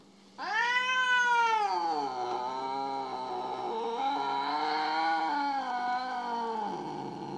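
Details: Jealous house cat Mo, upset after its owner attended to another little kitty, lets out one long wailing yowl lasting about six seconds, sharply rising at the start, then wavering and slowly sinking, a man's voice pleading afterward.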